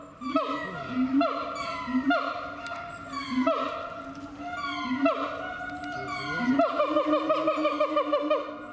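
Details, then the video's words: A siamang at Chiba Zoological Park, Japan, gives loud, rich, wailing notes that swoop and repeat about once a second. "驚きの鳴き声と身体能力「フクロテナガザル」〜千葉市動物公園の動物〜"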